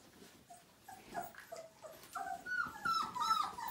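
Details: Five-week-old Siberian Husky puppy during its first bath in 2017, one of a litter of nine, giving soft, thin whimpers that start faint and grow into louder, sliding whines, falling in pitch and repeated several times in a small indoor room.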